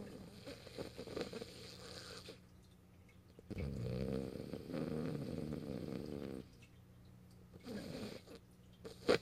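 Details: Morio, a French Bulldog sleeping in the owner's arms on 8 March 2012, lets out a long, loud, vibrating snore between softer wheezy breaths, ending with a brief sharp click.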